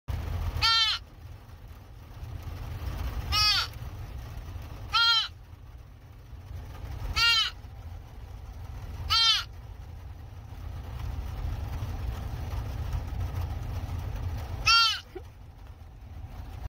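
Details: Young female deer fawn calling just after being rescued: six short, nasal, harmonic bleats that arch up then down in pitch, spaced two to five seconds apart, over a steady low rumbling background.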